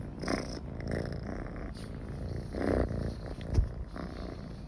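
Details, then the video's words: Pet cat purring contentedly near people, a steady low vibrating rumble that rises and falls with its breathing, with a faint brief snort near the end. "Kucing Mendengkur"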